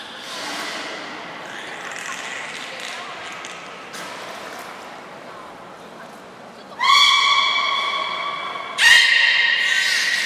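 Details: Beluga in an aquarium public training show at Port of Nagoya Public Aquarium, 16:00 session on 4 November 2018: two loud, flat, buzzy tones rich in overtones, each lasting about two seconds, after murmuring audience voices.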